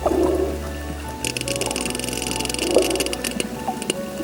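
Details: Sperm whale gives a rapid train of sharp, crackling clicks like crunched chips over soft background music; the sound is said to reach 230 decibels and serves navigation, communication and finding prey in ocean depths of about 1,000 m.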